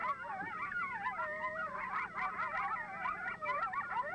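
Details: Coyote group yip-howl: a chorus of coyotes yipping and howling together in a frenzied, overlapping jumble of wavering high voices, announcing their territory's location to coyotes in nearby territories.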